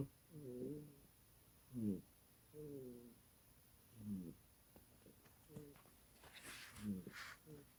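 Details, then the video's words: Sleeping kitty with loud snores, low throaty rasps repeating roughly every second, alternating longer buzzing inhales and shorter snorts, with a faint higher hiss late on. "You Snore Loud For A Little Kitty!"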